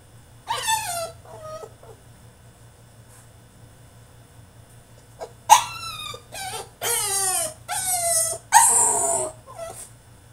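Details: French Bulldog throwing a tantrum inside his cage, opening with a falling whimper, going quiet, then building into a run of loud drawn-out whining yelps that slide downward in pitch, about one each second.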